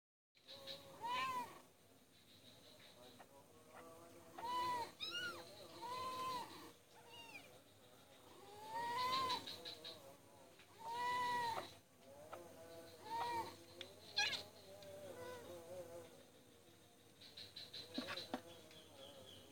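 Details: Two mother cats caring together for five kittens, recorded Wednesday 2 January 2019 on Jalan Kolonel Sugiono, Kuala Kapuas, Central Kalimantan, Indonesia. Repeated short arched meows of varied pitch come every second or two over a faint steady background hum.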